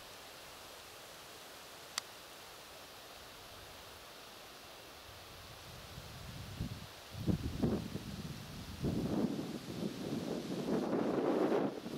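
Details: Quiet outdoor ambience with a single click near two seconds, then rustling and crunching sounds building from about six seconds, no animal voice heard.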